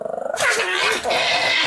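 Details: Pomeranian dog giving its morning and night greeting: a loud, rough, growling vocal burst that sustains through most of the moment after a brief choppy start.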